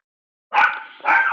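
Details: Indoor dog barking in the background of a live-streamed talk, prompting a pause: two loud, sharp barks in quick succession, each about half a second, after a moment of silence.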